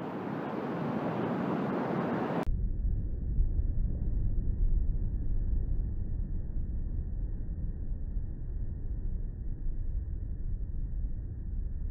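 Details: Steady low rumbling noise like wind or a passing vehicle, with all high sound cut away after about two and a half seconds; no animal voice stands out.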